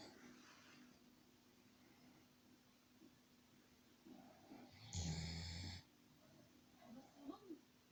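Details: Sleeping Dobermann named Khan, snoring like a person: quiet breaths, then a single loud, rough, buzzing snore of under a second, followed by faint snuffles, over a constant low indoor hum.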